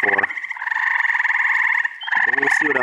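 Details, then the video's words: Mixed frog chorus in upstate New York during the first week of June: a loud, steady pulsed trill for nearly two seconds, then resuming, with deep stacked croaks at the start and near the end. "Frog Orchestra. Treefrogs! Toads! Peepers! Green frogs!"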